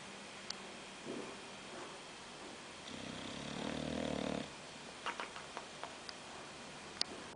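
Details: Snoring from Oliver, a bulldog: one long, droning, nasal breath of about one and a half seconds, preceded by a faint snort and followed by soft clicks and snuffles.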